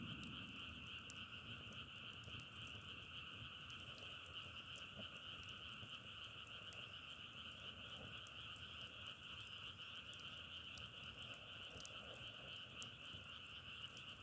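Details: Frogs calling together outdoors, their chorus likened to the crackle of burning firewood: a dense, unbroken wall of rapid trilling in two steady pitch bands, with scattered clicks and faint low rumble beneath.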